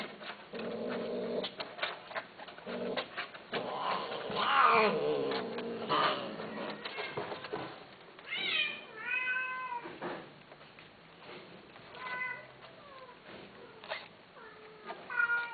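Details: Domestic cats heard mewing after a stretch of rustling and clatter, then a series of clear, bending meows, some steady and some falling in pitch, repeated every second or two amid background clicks.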